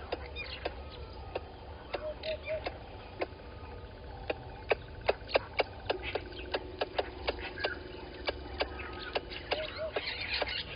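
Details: Squirrel alarming at a water monitor lizard below a waterhole camera at Gowrie dam, Djuma Game Reserve, Sabi Sand Wildtuin, South Africa, 11:45, 10/04/20; sharp dry clicks repeated in irregular bursts, with soft tonal triplets from another caller and low background hum.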